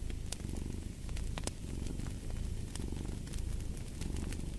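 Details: Low continuous purr from a cat, pulsing in soft cycles roughly once a second, layered under frequent sharp crackles of a burning fire.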